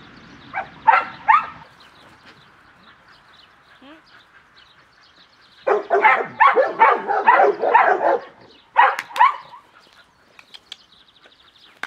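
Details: Cimarron Uruguayo dog from an FCI-registered European kennel, trained in tricks with hand signals, giving bursts of sharp barks and yips, a short pair early, then a rapid run of about eight barks and two more at the end.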